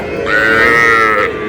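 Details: Cattle at Aftabganj haat, a livestock market in Dinajpur, with small bulls and heifer calves, 24 August 2026: one sustained, steady, tonal moo lasting about a second, with a strong low harmonic voice and little background.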